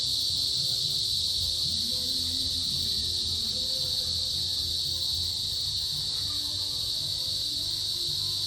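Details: A small cicada species calls in the mid-afternoon of the rainy season: males give a steady, high-pitched, synchronized drone with no breaks to attract females.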